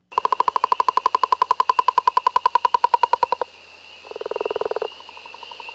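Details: Northern Leopard Frog recording played back during frog-monitoring training. A long, fast, snore-like rattle of evenly spaced pulses lasts about three seconds. After a pause comes a short, lower, rough grunting burst.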